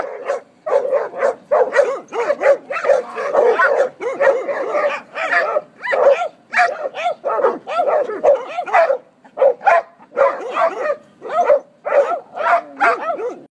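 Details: Several hunting dogs bay at a caught raccoon before the first snow of 2016. One is brown and tan, one black and brindle, and one white with blue merle. Their steady, rough barks overlap, several a second, with only brief pauses.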